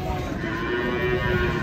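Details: Agitated cow in Indonesia giving a short, steady, drawn-out moo that holds a level pitch, with human voices faintly underneath.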